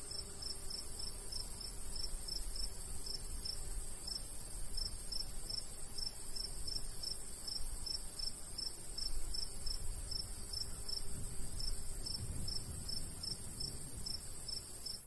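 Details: Summer countryside cricket sounds by a golden wheat field: a long even train of high chirps, evenly spaced and steady for fifteen seconds, with a faint low hum and gentle breeze.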